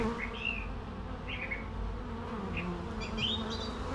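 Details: Bees buzzing in a steady low hum with faint overtones, while scattered bird chirps and short whistles come and go in the background.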